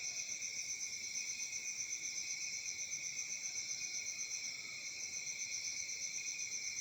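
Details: Crickets in Africa during summer night chirp as a dense, high, ringing trill, pulsing evenly about four times a second, with no other sounds standing out.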